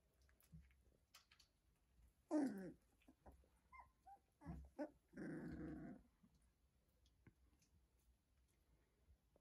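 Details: Two-week-old Rhodesian Ridgeback puppies from a litter born 10 August 2021, indoors: a short rough burst, then a longer buzzy, noisy growl lasting about a second, with faint squeaks and clicks in between.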